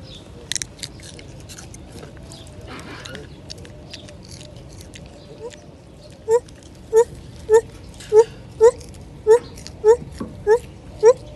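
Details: After several quiet seconds with faint rustling and chewing as lar gibbons eat ripe fruit in tropical trees, a lar gibbon sings clear, upward-swooping hoots in a steady run, roughly twice a second.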